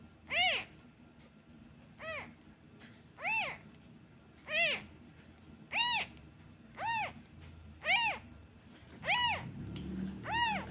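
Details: Kitten left without its mother, wailing whenever a hand is withdrawn; nine piercing, arched meows at a fairly even pace of about one per second, with a low rustling noise creeping in toward the end.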